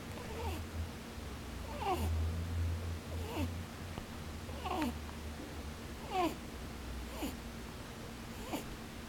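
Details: Sleeping rabbit, eyes still open, snores in a small room. Brief downward-sweeping nasal puffs repeat at irregular intervals of one to one and a half seconds, backed by a constant low electrical hum.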